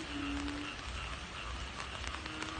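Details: A dense chorus of frogs and narrow-mouthed toads croaking together in flooding rice fields after a night of rain, over a steady wash of background noise.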